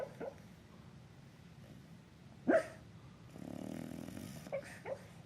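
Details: Bulldog asleep and dreaming of chasing a squirrel gives soft muffled yips, one sharper woof near the middle, then a drawn-out breathy snort and a couple more small whimpering yips.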